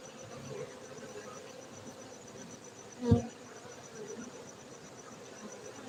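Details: Honey bees at a beekeeping centre in Gayo, Bener Meriah, Aceh, Indonesia: a steady low hum from many bees, with one sudden loud thump near the middle.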